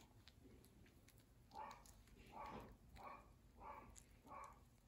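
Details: Dog barking five times at a steady pace, each bark a short harmonic burst spaced under a second apart, fairly faint against a constant background hiss and low rumble.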